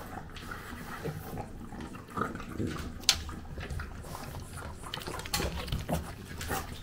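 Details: French bulldog Gonta in Japan eating breakfast while a puppy comes for his food; wet, irregular chewing and lapping noises with soft clicks and a sharp knock near the middle, indoors, filmed on a DJI Pocket 2.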